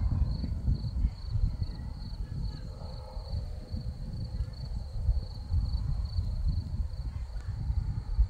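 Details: Crickets in a Crimean field of scarlet poppies keep up a continuous high chirping in regular quick pulses, partly masked by strong, gusty low-pitched wind noise.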